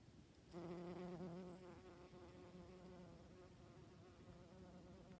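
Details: Honey bee on September 8th, 2019: a low, even droning hum begins abruptly after half a second, loudest at first, then continues slightly wavering and gradually softer over low background rumble.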